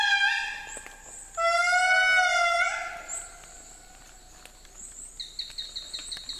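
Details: Endangered wild indri lemurs on their island home, calling back after a guide played a recording of their song; loud, piercing wailing tones held steady then bending up and down, rich in overtones, followed by rapid insect-like chirping.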